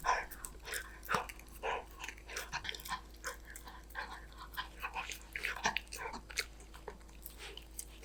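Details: Golden Retriever named Danbi eating snacks, a dog mukbang: crisp, irregular crunching and biting bursts, several per second with short pauses, over a low steady hum.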